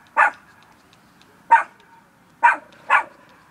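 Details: Bear, a small fluffy pet dog, gives four sharp, bright barks, the first three spaced over two seconds and the last two close together, in a quiet room.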